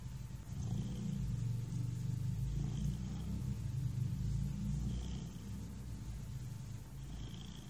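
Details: A relaxed house cat purrs close and loud, a deep continuous motor-like rumble that barely pauses, fading slightly toward the end.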